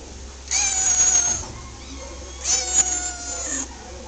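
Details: A domestic shorthair cat at an adoption shelter gives two drawn-out meows, each lasting about a second, with a steady harmonic tone.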